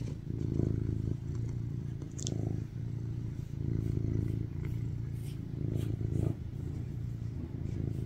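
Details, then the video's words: Sweet rescued tuxedo cat BabyCharlie, born 2019, lies on his owner purring for cuddles: a loud low rumble pulsing in repeated inhale-exhale swells roughly every one to two seconds, with occasional small clicks and rustles. "Sweetest cat purring on top of me, craving cuddles like a baby"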